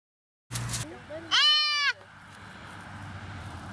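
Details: A female fawn being released toward the woods gives one loud, strained, harmonic bleat, rising then falling, after a brief thump, with faint background noise outdoors.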